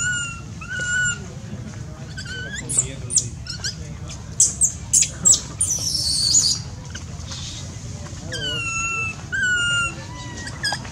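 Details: Baby monkey crying loudly: drawn-out tonal wails with rich overtones, wavering and falling at the start and again near the end, broken by a burst of shrill, piercing screams in the middle, over a steady low background rumble.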